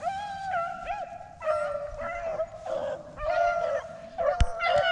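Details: A pack of rabbit hunting dogs gives tongue on a hot trail after jumping a rabbit on the first hunt of the 2021 season, after dry weather then rain. Drawn-out musical bawls and higher yips overlap and swell as the chase moves along.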